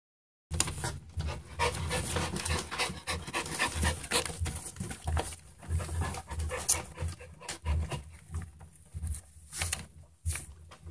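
Young Schipperke puppies breathe in rapid, irregular puffs of panting and snuffling. The sounds come in uneven clusters with brief pauses, over low rustling and handling noise.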